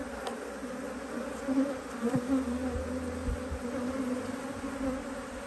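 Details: Hum of a honey bee colony in a HiveIQ hive in Australia, mid-Autumn 2023, as the hive is opened to put on another box; an even, low buzzing drone with a faint higher band holds steady, with a few soft knocks.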